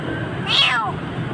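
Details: A kitten, frightened and near death in a dark place in Jakarta, gives one high, sharply falling meow while a person softly calls to it.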